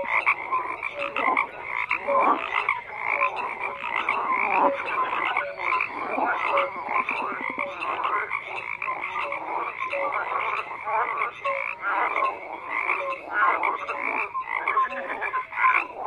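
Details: Thick, unbroken frog chorus: countless croaks merge into a rough, buzzing wall of sound, with faint short whistled notes scattered throughout and no pauses.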